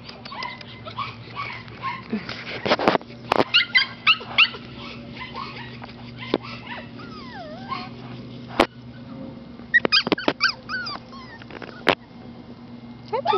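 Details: Five-week-old Mini/Toy Australian Shepherd puppies whimpering and yipping, with high wavering squeals and sharp clicks scattered through the recording, a steady low hum behind, and a person's voice speaking softly.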